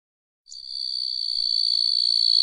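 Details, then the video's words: Small grasshopper giving a steady, high, hissing buzz that starts abruptly after a short silence and grows gradually louder over about two seconds, with no other sounds. "Sonido del saltamontes - Sound of the Grasshopper"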